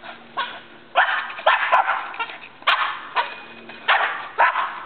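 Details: Labrador Retriever Jena and Boston Terrier Franklin at play with a tetherball; loud, clipped barks come in a broken series of about seven, over faint background hum.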